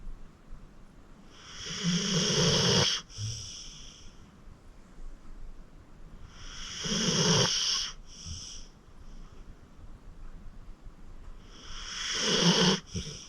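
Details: Rescued senior pit bull Acorn, aged 14, asleep and snoring: three long harsh inhaled snores about five seconds apart, each cut off sharply and trailed by a short snorting puff of breath.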